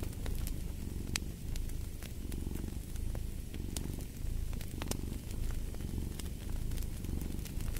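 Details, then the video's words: Low, vibrating cat purr rising and falling in regular breathing cycles, about one per second, set against the crisp intermittent crackling of a wood fire. "Purring of a Cat"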